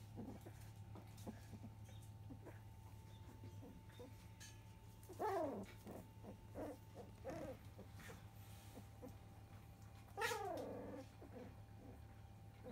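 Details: Field-line Labrador Retriever puppies, fifteen days old with eyes newly open, settling onto newspaper bedding indoors; two loud descending whines near five and ten seconds, with softer squeaks and a steady low hum beneath, and a woman speaking softly.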